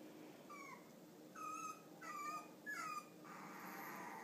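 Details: Female Cavalier King Charles Spaniel puppy, clear-coated, lonely and alone while the others sleep, gives four thin whistled whimpers, each briefly rising then falling, spaced roughly every second in a quiet room, ending in soft breathy noise.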